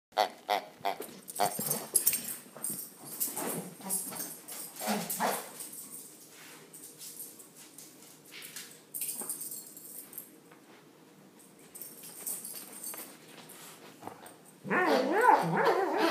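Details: A male English Springer Spaniel playing with his armadillo toy gives short whines and grunts amid rustling and toy noises.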